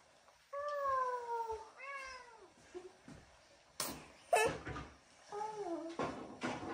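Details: Female Bengal cat indoors with a baby sister, uttering drawn-out, slightly falling meows with rich harmonics, then a brief bent meow near the end, mixed with sharp bumps and handling noises.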